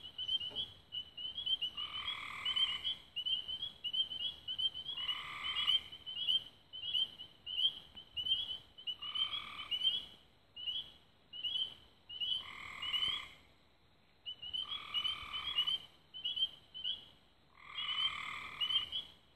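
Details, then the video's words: Frogs singing at dusk near Raven Rocks, Belmont County, Ohio, recorded 24 May 2016: rapid high chirps run almost continuously, broken every two to three seconds by a lower, buzzy trilled burst lasting about a second. "Frogs At Dusk"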